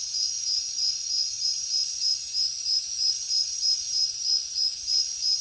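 Crickets chirp in a steady, high-pitched pulsing trill, with bursts of hissing insect calls above.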